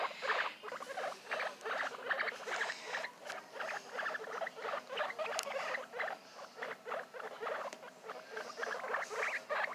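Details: Young guinea pigs giving a steady run of brief, squeaky chirps, close to three per second, rising and falling in loudness in little waves, with no other clear sounds.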